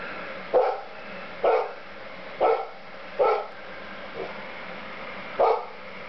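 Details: Golden Retriever barking at falling snow in January 2010: five loud, gruff barks spaced roughly a second apart, with one fainter bark between them, over a steady background hiss.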